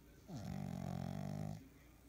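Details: Loud snoring from a French Bulldog puppy: one long, low, rasping snore held just over a second, sliding down at the start and buzzing steadily before fading.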